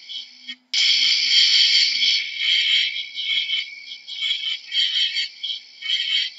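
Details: A cricket's shrill, buzzy trill starts after a short pause and runs almost continuously, then breaks into pulsing bursts that swell and fade every second or so.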